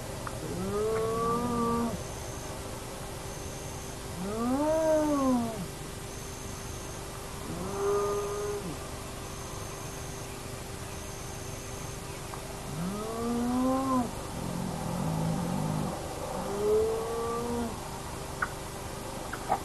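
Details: Hyenas of the Naledi clan at an active den, picked up by a remote nomad camera: about five arched, harmonic moaning calls that rise and fall over twenty seconds, under a steady electrical hum and a faint series of high beeps.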